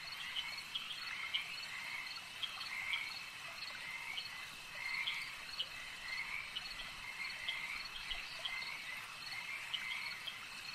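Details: Frogs croaking at a lake: a dense, continuous chorus of many overlapping callers, short bright chirping croaks rising over a steady high-pitched hum, with no quiet gaps across the whole stretch.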